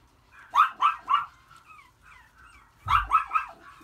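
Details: Long-coated Chihuahua puppy, a male born April 13, 2018, white and red, giving two bursts of three sharp high yapping barks with faint whines in between.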